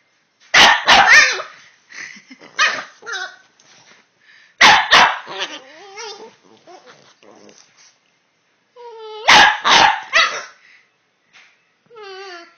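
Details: Two Boston Terriers having a vocal back-and-forth, with clusters of loud barks alternating with quieter moaning whines that slide up and down in pitch, and a few softer grunts between bursts.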